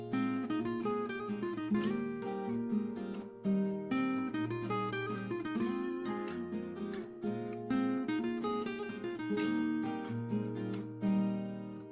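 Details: Strummed and plucked acoustic guitar plays steadily throughout, with no buzzing or other animal sounds heard.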